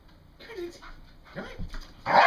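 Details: A female English Bull Terrier, excited and having fun, gives a short whine and then a sharp bark while a person talks nearby.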